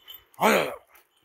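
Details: Seven-month-old Kangal dog out on a walk gives a single short, tonal yelping whine lasting about half a second, rising then falling, with a person's voice briefly heard nearby.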